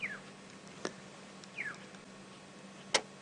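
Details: Squirrels alarm calling at Djuma Game Reserve in South Africa's Sabi Sand on a July afternoon: two quick, high chirps sliding downward, about 1.5 seconds apart, with sharp clicks between and a steady low engine hum.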